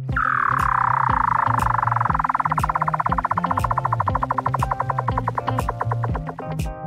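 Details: A Weddell seal in Antarctica gives an eerie underwater communication trill that slides downward, then pulses steadily over a musical backing.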